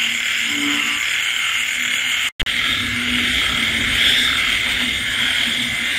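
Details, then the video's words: Frogs croaking late on a rainy night in the countryside, with insects calling: short low croaks pulse under a dense, steady high-pitched chorus, and a brief dropout in the middle. "Bạn nghe tiếng ếch nhái kêu trong đêm khuya."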